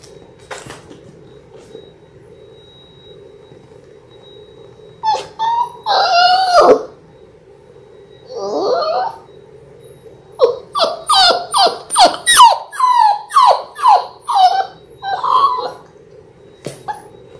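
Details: Labrador Retriever puppies, six weeks old, born January 18, 2022, from a litter of six on a live puppy cam; a quiet stretch, then drawn-out whines and a rapid run of short, falling yelps, with a steady background hum.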